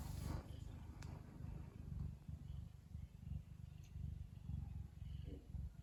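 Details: Ragdoll cat Lily purring while relaxed, a sign of pleasure rather than anger or threat: a deep, even rumble pulsing in breath cycles about once a second, with faint rustles at the start.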